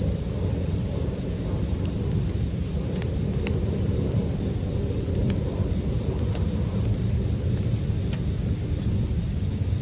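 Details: Steady high ringing of bell crickets continues without a break. Brief fire crackles and a fairly strong low rumble run beneath the insect song.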